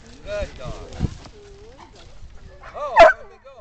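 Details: Briard named Heikki herding sheep: one sharp, loud bark bursts out near the end after softer harmonic whines and yips, with a man's voice talking and praising the dog throughout.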